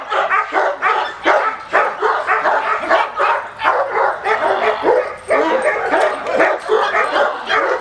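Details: Aggressive barking from a male Cane Corso during attack training: loud, rough barks repeated roughly every third of a second, steady and unbroken, each with a noisy, grating edge.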